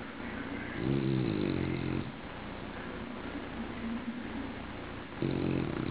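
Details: Deep rattling snores from a bulldog: one drawn-out snorting breath near the start and another beginning four seconds later, low and grating, with faint household hum in the pauses.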